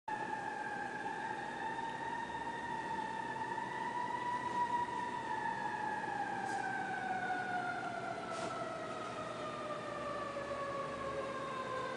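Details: A fire engine siren wails in long, slowly rising and falling tones, with no animal voice heard.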